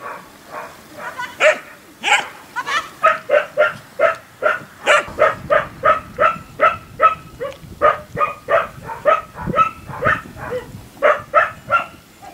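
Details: Portuguese Water Dog barking during agility training at a canine training centre: a long, steady series of clipped, evenly spaced barks, roughly two per second, continuing without break for over twelve seconds.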